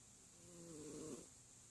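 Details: Sleeping cat giving a single drawn-out snore, a tonal, slightly whistling breath that rises and brightens for about a second before fading, over a faint steady hiss.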